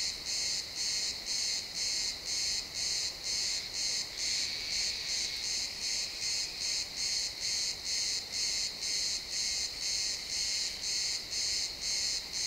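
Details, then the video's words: At sunset in a pine forest, crickets give a shrill pulsed chirping, bursts about twice per second, slightly uneven in spacing, with nothing else prominent in the quiet woodland background. "Cricket sounds in the pine forest"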